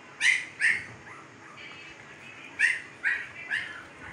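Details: Siberian Husky puppies, 15 days old, in Pakistan: five sharp, high yelps in two bursts, a pair and then a trio, with a quiet gap between them and a low background hiss.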